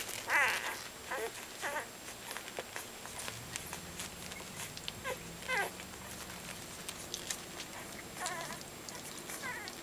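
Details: Soft Coated Wheaten Terrier pups, two weeks old and crawling, close to opening their eyes and beginning to walk, give brief high-pitched wavering squeals at the start, middle and end, between light scratching and patter.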